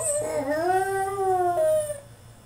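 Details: Caged French Bulldog in a tantrum, letting out a continuous tonal whine that rises, holds and slides down over about two seconds, voice breaking into a second pitch, indoors with a low background hum.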